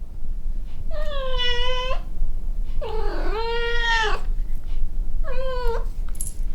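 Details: Rescued kitten lying under the air conditioner after the weather turns cold and the unit is switched on, giving three drawn-out meows with many harmonics, the middle one longest and wavering, over a steady low rumbling hum.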